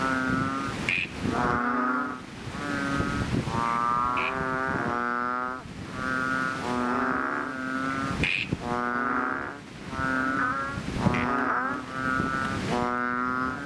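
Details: Several chubby frogs (bull or ox frogs) in a fishpond after rain give loud, deep, nasal droning calls of one to two seconds, overlapping in a steady chorus with brief gaps and occasional higher bleats.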